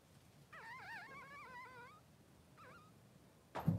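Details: A three-day-old Blenheim Cavalier King Charles Spaniel puppy in the newborn pen with mother Pom-Pom. One long wobbly, quavering whine lasting about one and a half seconds, then a short rising-falling squeak, and a dull thump at the end.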